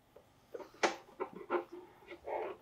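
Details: Pet guinea pig Mopuko being brushed and having its nails clipped, twisting about in acrobatic poses, gives a run of short, harsh squeaky bursts, the last one drawn out into a more tonal whine, in a quiet room.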